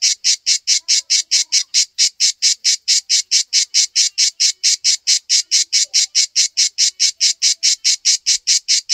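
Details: {'caption': 'Backyard cicada perched on a tree trunk: a clean run of rhythmic rasping buzzes, roughly four a second, evenly spaced and uniform in loudness, no other sounds.'}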